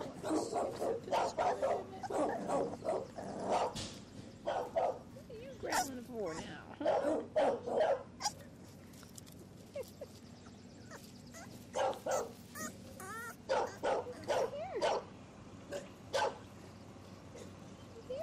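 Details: Two 7-week-old male English Bulldog puppies playing outdoors on a ranch give short, rough growls and yips in quick, irregular bursts while a woman talks to them.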